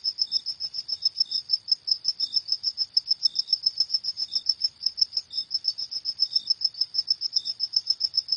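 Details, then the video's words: Crickets at night: a steady stream of high, shrill chirps repeated several times per second, with fainter lower chirps slipping in now and then; no other sounds. "Suara Jangkrik di Malam Hari"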